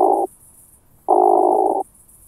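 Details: Through a Pettersson D 100 ultrasound detector, an oak bush-cricket in Starnberg, Germany, 18 July 2023: a burst ends, then after a short gap a steady buzzing roll lasting under a second, otherwise quiet.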